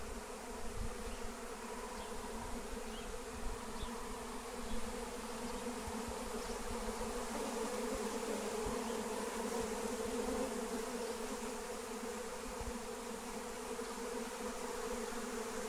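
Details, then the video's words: Wild honey bee swarm in flight during capture with lemon balm: a dense, steady droning hum with a strong band near the low-middle pitch, continuous throughout with faint wind rumble underneath. "Honey Bee Swarm Capture with Melissa plant"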